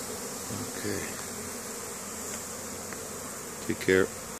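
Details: Busy honey bees returning pollen to their colony in spring, Caribou, Nova Scotia, Canada, 10 May 2015; a lower, even humming drone with a brief buzzy burst and clicks just before it stops.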